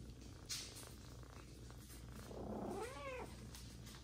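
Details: Indoor mother cat feeding an adopted older kitten along with her own three newborn kittens; a single rising-then-falling meow near the end follows a sharp click, over low background hum.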